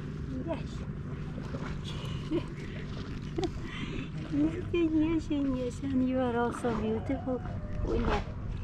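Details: A female tabby cat on a pier approaches while meowing for food and attention, a run of short, rising-and-falling meows over low rumbling background noise.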